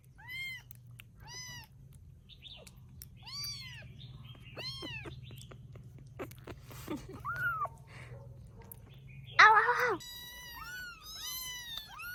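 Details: High thin meows from rescued baby kittens in Vietnam at sleep time, scattered singly and in short bursts amid soft rustling and a low hum, with a loud harsh cry near the end.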